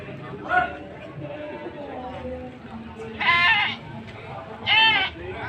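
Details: Goats for sale in the crowded Sumpiuh animal market, Banyumas, Central Java, on 20 December 2025: a soft bleat, then two loud, shaky bleats close together, with voices murmuring throughout.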